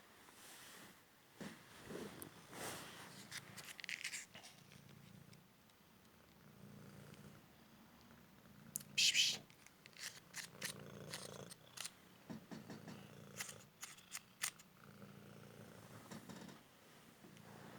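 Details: Male Cymric cat, rescued from the street after a car injury and now recovered, playing fetch indoors; a low, pulsing purr runs beneath sharp paper rustles, clicks and brief Turkish speech calling the cat.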